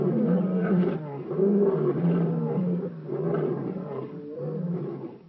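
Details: Young male African lions by Boyela Waterhole, Kruger National Park, giving deep, rumbling roars in rough pulses about every second, steady low tones swelling and fading, trailing off at the end.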